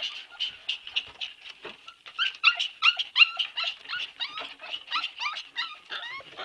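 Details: Several Siberian Husky puppies whine and yelp together in a loud, steady stream of short, high cries, some sliding upward and others dropping, coming in quick overlapping bursts.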